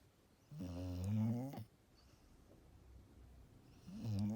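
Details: Luna, a Golden Retriever, sound asleep indoors, letting out long rattling snores: a drawn-out rasping breath of about a second, a quiet pause of over two seconds, then the next snore starting up.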